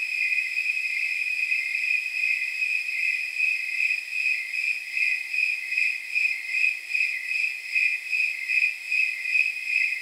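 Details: Snowy tree crickets calling on a warm night of about 79 degrees, a steady train of bright, tinkling chirps, roughly 150 a minute, layered over an unbroken high insect whine.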